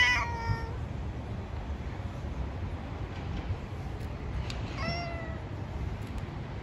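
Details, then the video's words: A stray cat living on the street, talking to other cats, gives two short meows about four seconds apart, the second rising then falling, over a constant low urban hum. "Cats talking to each other."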